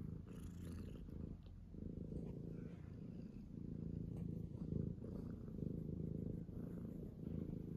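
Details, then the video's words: A tuxedo cat purrs in the morning: a steady, deep vibrating drone of fast even pulses with brief dips between breaths. Small scratchy movement sounds occur now and then. "Morning alarm Meow! Purr! Battle!"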